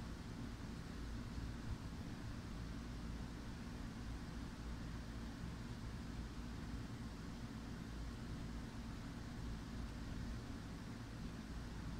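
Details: Steady low rumble of distant traffic or engines fills the air outdoors, with no other distinct sounds.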